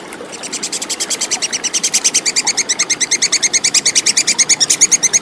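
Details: Tupai kekes, the Plantain squirrel, recorded as clear tutor material for contest songbirds: a rapid string of high, dry ticking notes that starts softly, then grows louder and keeps an even, rattling pace to the end.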